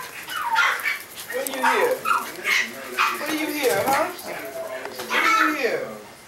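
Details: MaltiTzu (Maltese-Shih Tzu) puppies giving a run of high, whining yelps with falling, bent harmonics, repeated in short bursts, overlapping people talking and a television voice in the background.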